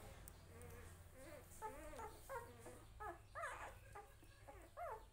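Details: Puppy with its family, giving a series of high, rising-and-falling whimpers and whines roughly every half second, some sharper yelps, over a low steady hum.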